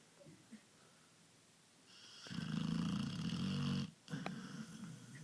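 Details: Sleeping pit bull giving one loud, drawn-out rattling snore of nearly two seconds, preceded by quiet breathing and followed by a short wheezy snort and soft exhale.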